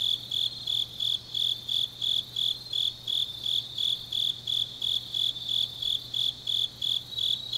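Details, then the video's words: Autumn night chorus of grass insects from Changnyeong, South Korea, led by a shrill, evenly spaced chirp repeating roughly three times per second over a steady high buzz, with a faint low drone underneath. "깊은밤 가을 풀벌레 소리"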